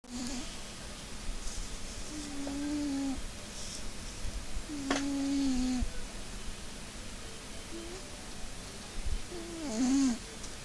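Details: Maine Coon cat snoring: low droning snores with faint whistled overtones, each lasting under a second and recurring roughly every two to three seconds, with soft breathy hiss between them in a quiet room.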